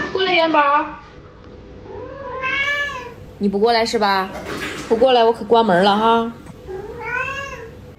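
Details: Domestic cat Yuanbao indoors in the early morning, yowling to ask for more food just after eating and talking back when scolded: about six drawn-out, harmonic meows over eight seconds, some rising then falling, with a person's voice in between.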